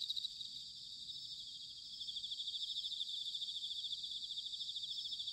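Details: Bell crickets in autumn at Sanuki, Chiba, Japan, a layered high-pitched chorus of rapid pulsed trills, rhythmic beats repeating about three times a second, over a soft low rumble.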